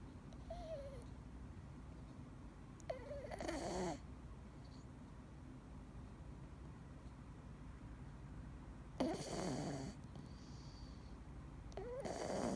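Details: Dee, a male Scottish Fold cat, sleeping indoors and snoring with a soft, low, steady rumble, broken by a few brief louder rustling bursts.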